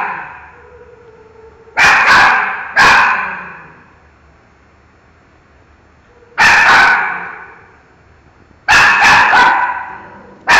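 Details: Dog named Miki barking at a mango, sounding off in clusters of two or three quick, forceful barks separated by pauses of a few seconds, each bark echoing in the room.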